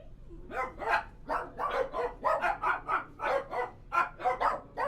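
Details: Several dogs barking inside a kennel, harsh broad barks overlapping in quick succession, roughly two or three per second, with a steady low hum underneath throughout.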